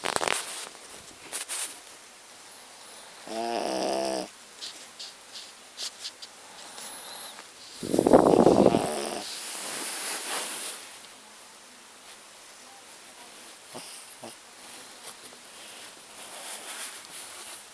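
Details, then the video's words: A sleeping pet dog named Muffin snores loudly in two rasping, buzzing bursts about four seconds apart, separated by quiet breathing and faint rustles. "Snoring dog Muffin"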